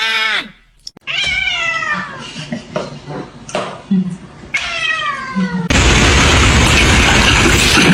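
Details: Domestic cat meowing three times in drawn-out calls that slide downward in pitch, with indoor rustling between them. Loud broadband noise takes over for the last two seconds.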